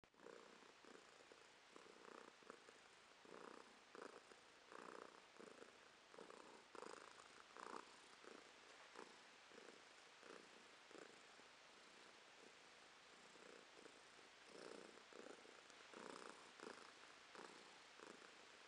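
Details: Domestic cat named Romashka purring, filmed in November 2022; a steady rhythmic purr with regular pulses roughly every half second to second, clear inhale and exhale phases, quiet indoor background.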